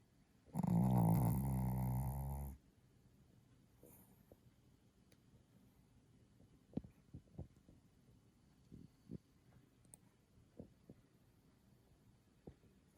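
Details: Chihuahua named Kohaku snoring hard while asleep late at night: one loud, harsh, rumbling snore lasting about two seconds, followed by near silence with faint scattered ticks and soft rustles.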